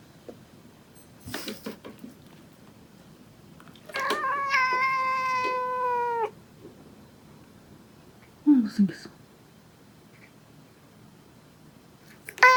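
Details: Indoor male house cat in South Korea, September 2017, picking a fight with its mother: scattered scuffling thumps, then a sustained two-second flat harmonic wail, followed by short rough grunting sounds and faint rustling.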